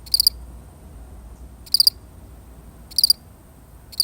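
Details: One solitary cricket gives bright, high-pitched chirps, each a quick cluster of pulses, spaced roughly a second and a half apart over a calm, faintly hissing background.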